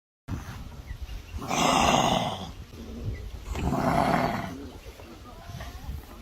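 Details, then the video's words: Kangaroo giving two breathy, rasping bursts, each about a second long and roughly two seconds apart, harsh and noisy rather than tonal, over a low background rumble. "Kangaroo Sound Effect _ How does A Kangaroo Sound"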